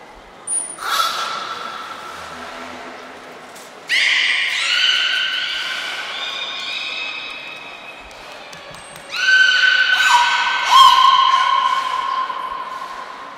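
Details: Captive beluga named Niko during a training session at Port of Nagoya Public Aquarium, 25 February 2024: a short high whistle, then two long, loud, buzzy harmonic calls stepping downward in pitch, each lasting about three seconds, with another whistle between them, indoors.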